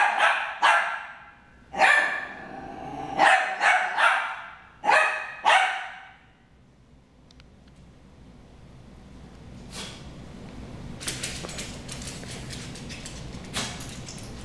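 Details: Harry and Ferris, two dogs, brawling: a burst of about seven loud, sharp barks in quick irregular succession over six seconds, then quiet with faint rustling and clattering.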